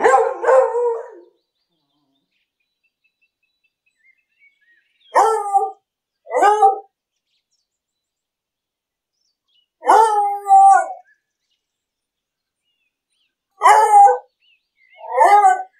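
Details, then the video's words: English beagle barking in a city park while out walking, short harsh barks given singly and in pairs with gaps of several seconds between bursts, no other sounds heard. "Beagle barking in the city park. Loud english beagle dog sound."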